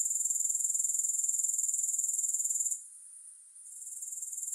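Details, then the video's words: High, shrill, rapidly ticking drone of grasshoppers with no music. It drops away abruptly partway through, leaving a soft high hiss, then swells back to full strength toward the end. "3 Hours of Grass Hopper Sounds"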